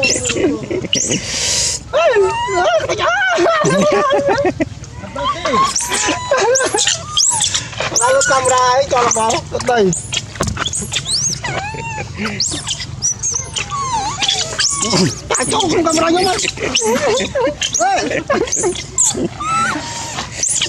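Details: Baby monkeys, including one called Dodo, screaming loudly to request food while being fed; dense overlapping high squeals with arched, rising-and-falling tones fill the whole stretch, a steady chorus of insistent cries with little pause.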